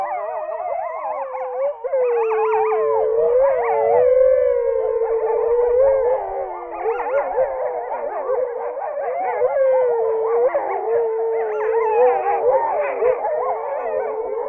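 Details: A gray wolf pack in Poland howls together, long wavering tones overlapping in a continuous chorus. Finding: Gray wolf.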